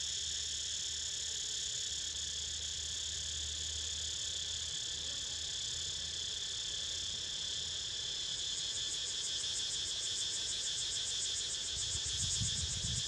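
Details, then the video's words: Cicadas droning steadily as Niko snoozes, a high multi-layered whine; the upper band breaks into rapid pulsing near the end, with a low hum and a brief rumble at the close. "Snoozing To The Sound Of CICADAS!!"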